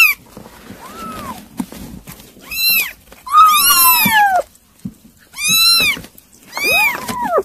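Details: Kittens at mealtime on weaning food cry out. A quiet meow comes first, then louder, bright arching mews. Two voices overlap at the end.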